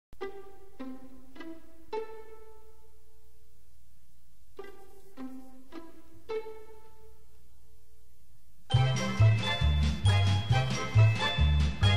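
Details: Plucked string notes in slow phrases give way to louder full-band music, with no animal sound.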